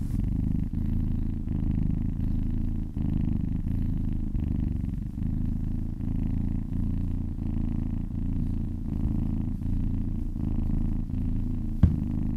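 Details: Continuous low rumbling purr from a happy cat during a massage, rhythmic pulsing with brief dips in breath, and a faint tap near the end.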